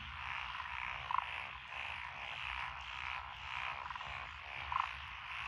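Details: Frogs calling from lotus paddy fields in Echizen, Fukui, Japan, June 2021, including several tree frog and pond frog species. Steady massed trilling, swelling and fading in waves, with two louder rattling croaks about three and a half seconds apart.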